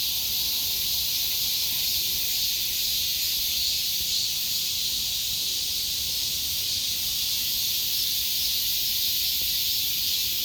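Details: Cicada in summer giving a continuous shrill buzz, an unbroken sizzling wall of high sound at an even loudness throughout, with no other clear sounds.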